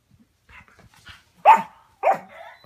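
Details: Playful Yorkshire Terrier indoors, with a Morkie lying nearby: soft whines and snuffles, then two sharp, loud barks about half a second apart, the second trailing into a higher whimpering tone.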